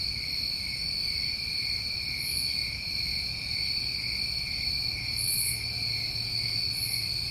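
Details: Summer night crickets in New England keep up a constant, even, high-pitched ringing drone in stacked tones, punctuated by three short sizzling bursts higher up; no other clear sounds.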